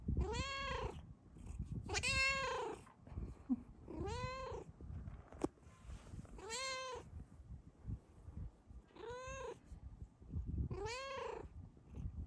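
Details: Luna, a Bengal cat, lying on top of her sleeping owner and happy, gives six drawn-out, arching meows about every two seconds, rising then falling, with soft purring between and a woman's quiet voice.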